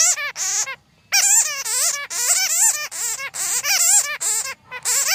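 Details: Bats squeaking, a recording used to lure bats for trapping: rapid bursts of harmonic, wavering squeals and chatters in quick runs, with a one-second pause early on.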